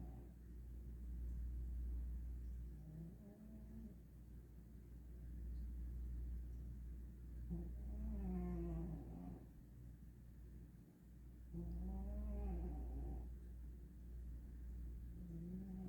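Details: Loud snores from a cat asleep, five or six tonal, wavering breaths spaced a few seconds apart, steady deep hum running underneath throughout.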